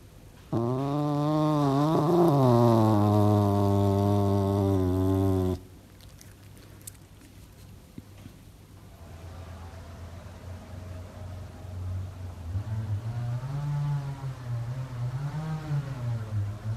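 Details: Pet male serval, described as playful with a cute voice, uttering a long, loud, rich, nasal moaning call lasting about five seconds that wavers in pitch. After a pause, a quieter, drawn-out, wavering call rises and falls.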